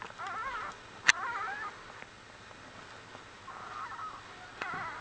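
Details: Litter of one-week-old Australian Bulldog puppies: thin, wavering whimpers rise and fall in several short bursts, with a sharp click near the first second and a faint trailing whine at the end over low room hiss.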